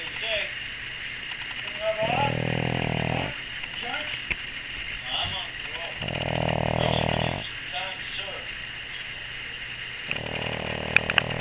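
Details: Daisy, a pug nursing six-day-old puppies, snores heavily as they feed. Three drawn-out, buzzy inhaled snores come roughly every four seconds. Brief high squeaks and suckling noises fill the pauses, ending with a couple of sharp clicks.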